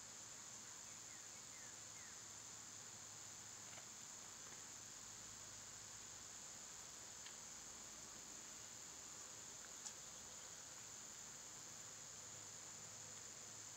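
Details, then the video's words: Summer cicada chorus sounding as a continuous shrill, even-pitched drone. Faint short bird chirps and a few brief ticks break in over the top now and then. "Cicada sounds"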